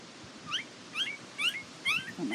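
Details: Border Collie puppies from a Nell x Skeet litter at the International Peace Gardens, 12 August 2018, give high, thin squealing whimpers: five quick rising-then-falling cries about half a second apart over a low background hum.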